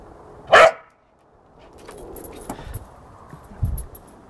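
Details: Working cocker spaniel, also called a field spaniel, playing in a garden: one short, sharp bark near the start, followed by quiet rustling, soft thuds and a few faint ticks.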